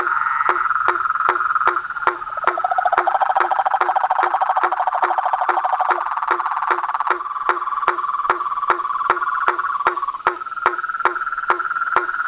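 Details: Pond chorus of toads, frogs and treefrogs at nightfall in front of a house veranda: overlapping rapid trills, one lower pulsed caller joining for several seconds, and evenly spaced knocking calls about two and a half per second.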